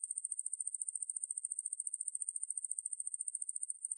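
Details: Ruspolia lineosa katydid (Korean wang-maeburi), 2020 recording from Korea's National Institute of Biological Resources: a steady, very high-pitched buzzing trill of rapid, evenly spaced pulses, roughly a dozen per second, unbroken for four seconds, with no other sounds.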